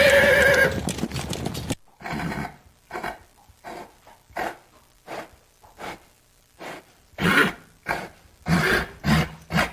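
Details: Horse giving a loud, tonal neigh with clear harmonics for under two seconds, then a string of short, breathy noise bursts at irregular intervals of about half a second to a second, fading and returning through the rest.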